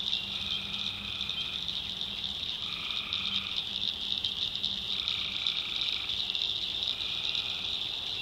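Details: Nighttime tree frogs in the North Carolina backwoods, a constant high rattling chorus with separate mid-pitched trills lasting about a second each, coming in and out at staggered moments.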